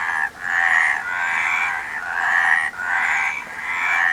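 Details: Several frogs croak at once, their raspy, trilled calls blending into an almost continuous wall of sound with only a few short breaks, loudest through the middle of the stretch.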